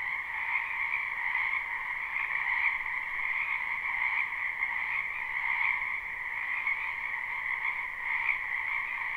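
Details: Many frogs calling from a wetland in spring, live recording: overlapping croaks merge into a continuous buzzy drone in two bands, with faint pulses rising and falling every second or so.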